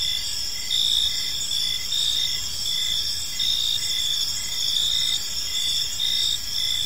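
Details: Evening in a park with many crickets calling together: continuous shrill trilling layered with short rhythmic chirps, some pulses swelling louder every second or so, faint low rumble underneath.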